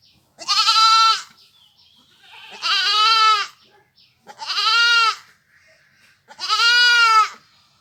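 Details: Four goat bleats from a village goat, each roughly a second long and spaced about two seconds apart, nasal and tremulous with rich harmonics, faint rustling between calls.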